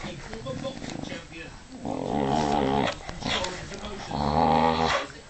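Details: Pet dog growling while playfully tugging and ragging at a jumper sleeve; two long, low rumbling growls, each about a second long, with a rougher, noisier stretch between them and some human voice in the background.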